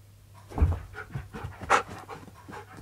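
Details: Pet dog searching for its owner during a game of hide-and-seek indoors; a few short, breathy panting or sniffing bursts, one stronger puff near the middle, with quiet room noise and a low steady hum.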